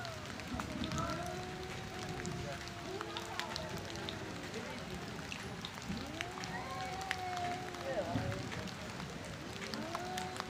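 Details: Fighting male cats contesting area and breeding rights let out repeated arching wails every couple of seconds, rising and sagging in pitch, partly buried in a crackling, rain-like outdoor background.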